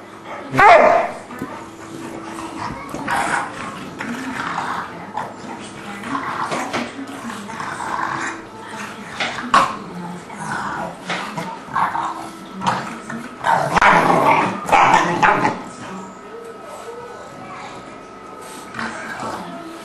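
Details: An English Bulldog and a three-month-old English Mastiff pup named Forest play together indoors. They give short, rough growls and snorting bursts in irregular clusters, with a few louder peaks. People's voices are heard talking throughout.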